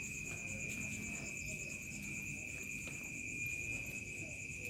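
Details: Village night ambience at dusk with crickets: continuous shrill, even trilling in two high layers, unbroken for the whole stretch, over a soft low rumble of rural background noise.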